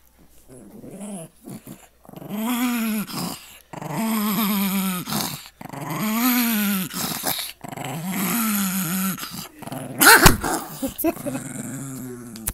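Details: Pet Chihuahua guarding his bone indoors, growling in long drawn-out bursts of about a second or more, each harmonic-rich and slightly wavering, separated by short pauses; a louder clatter and scuffle near the end.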